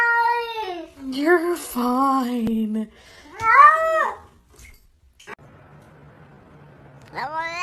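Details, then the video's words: Domestic cats meowing in a series of harmonic, wavering cries, some falling then rising, separated by short gaps, with a faint background hum near the end. "Talking Cats Like Human"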